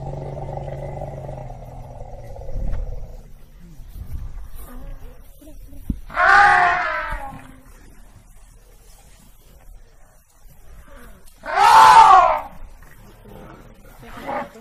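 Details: Two separate blaring trumpet calls from an African elephant, each roughly a second long and about six seconds apart, brassy and harmonic, over a quiet background with faint low sounds at the start.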